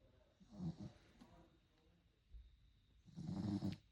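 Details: Sleeping puppy snoring: two soft, rough breathy snores, the second longer and louder, low and quiet with a brief faint noise between.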